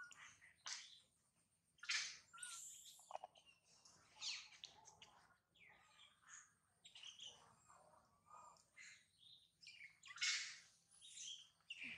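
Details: Mila, a baby monkey mistreated and bitten by her mother, cries loudly with piercing, high squealing screams in irregular bursts, some long and strained, separated by short pauses.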